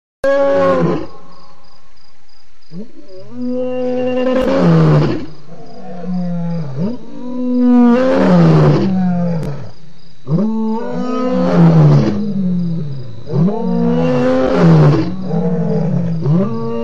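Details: ['Lion at Djuma waterhole on 28 October 2016, giving loud roars: deep, harmonic-rich groaning bursts about every two seconds, each swelling then falling in pitch, repeated across the recording.']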